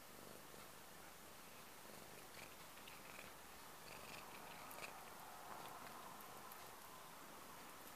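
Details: Purring domestic cat waking someone up: a continuous low rumble with rapid regular pulses, about four per second, steady at close range indoors, with faint scattered clicks and rustles.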